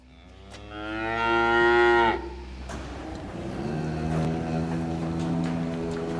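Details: Cattle on a farm during milking, with cows and calves present: a long, loud, rich moo rising and holding for about two seconds, followed by a lower, softer drawn-out moo that runs to the end.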